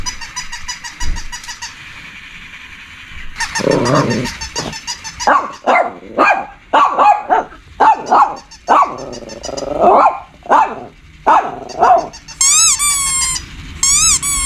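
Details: A Shih Tzu barks in a rapid series of short, sharp yaps, with bright electronic tones at start and end.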